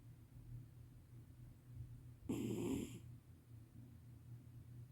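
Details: Sleeping domestic cat snoring loudly: a single rough, rasping inhalation lasting under a second, rising out of a low steady hum of room noise and then fading back to quiet.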